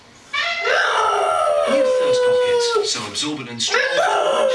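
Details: Pet dog Fred howls back at the elephant on a kitchen towel advert playing on TV. One sustained wavering howl drifts gently downward, then a shorter one rises, over advert music and voices.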